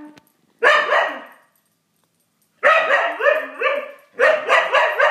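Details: Siberian Husky trying to play with a cat gives three bursts of harmonic, wavering, yodel-like barks with short quiet gaps between bouts.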